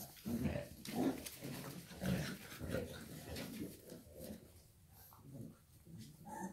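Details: Shar Pei mother with her puppies, low grunting and snuffling sounds in soft uneven bursts about once a second, with faint rustling throughout.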